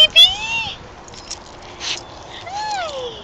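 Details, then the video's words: Female Basenji named Kaeda, excited to see her owners again after staying away all weekend, gives swooping, harmonic yodels that rise then fall, two clear cries framing soft household noise and brief human voices. "Basenji Excited to See Her (human) Parents!"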